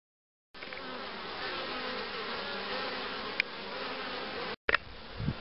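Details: Honey bees at hives being prepared for queen rearing in 2013: a dense, steady hum with low droning bands, a short break near the end, and a few faint clicks from beekeeping work.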